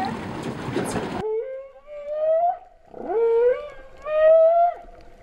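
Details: Humpback whale song recorded underwater at Vava'u, Kingdom of Tonga, in September 2015, likened to cow mooing. A second of bubbly splashing noise gives way to three rising, tonal, harmonic moans, each swelling and then fading.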